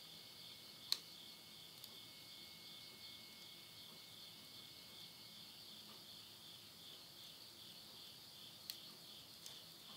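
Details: Midnight insect voices in countryside Tottori, Japan, September 2020: an even, ringing high chorus running throughout, broken only by two or three crisp snaps from a wood stove fire.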